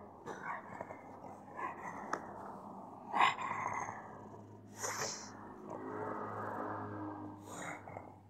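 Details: A freshly showered pug snorts and sneezes in short, breathy bursts, with a low steady hum underneath.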